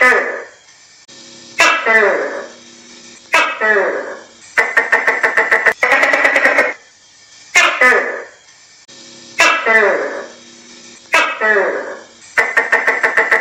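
A tokay gecko gives loud, throaty two-part calls, each repeated after a dry clicking rattle.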